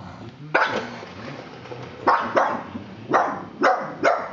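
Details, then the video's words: Pug called Wally barking at a plastic horse, five sharp barks spaced unevenly over four seconds, preceded by a soft growly rumble. "Pug vs Scary Plastic Horse"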